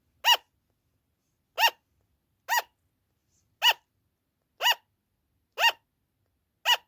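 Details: Pet sugar glider giving its loud "an an" call, a type that often goes on for a long time, at night or when the owner is out: short nasal barking yaps repeated about once a second, seven in a row, in silence.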